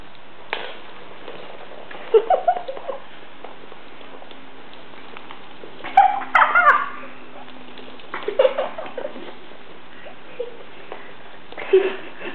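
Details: Gizmo, a 10-week-old Shih Tzu puppy, in his first sock-fight before going to sleep at night: short clusters of growly, whiny yips every few seconds, separated by quiet stretches in a small indoor room.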